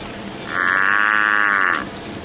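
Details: African buffalo (Syncerus caffer) lowing on a sunset safari drive in South African bush, likely from a grazing herd: one drawn-out, cattle-like moo of about a second and a quarter, steady and harmonic-rich, over faint background noise.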